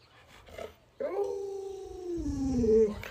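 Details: Pet Alaskan Malamute begging affectionately for watermelon inside a home, giving a single sustained whining howl that jumps up, holds level, then sags lower and ends in a brief higher lift, with faint human sounds before it.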